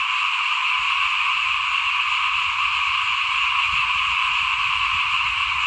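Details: Frogs calling by a house at rice sowing time, 2021; a thick, unbroken chorus of croaks and trills runs throughout, over a low rumbling background that swells toward the end.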